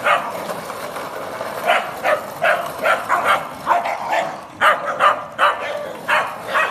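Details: Scottish Terriers in a pack of seven dogs, with a Sealyham and a Jack Russell, play in a back garden in Guildford, Surrey, spinning 12-year-old Squeak on a bread trolley. Sharp yapping barks come in quick bursts over a steady background rumble.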